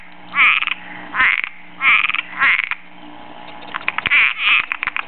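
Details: In a backyard, a Cuban tree frog seeking a mate gives loud rasping snore-like croaks, four long bursts then a run of quick stuttering clicks and two more croaks.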